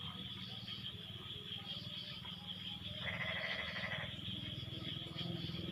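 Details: Frog calling after rain has stopped: one loud, buzzy, bleating croak lasting about a second stands out against a continuous high drone and fainter, lower pulsing in the background.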